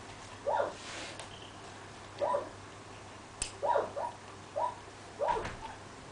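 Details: Yelps from a Central Asian Shepherd Dog, Samirah or Turanga: clear, high, whining calls in pairs and single notes, spaced about a second apart, with a steady background hum and a sharp click.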